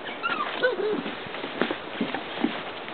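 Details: Standard Poodle giving soft, high whimpers and short yips, thin whining tones that rise and fall, with a few brief sharper yelps spaced through the second half against a quiet indoor background.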